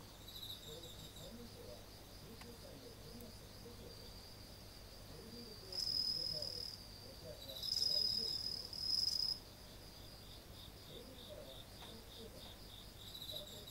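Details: Insects at night in front of a house entrance, 30 August 2018, early autumn: a steady, high-pitched chorus of fine, rapid pulses, with several louder, ringing trills rising briefly above the hum before fading back.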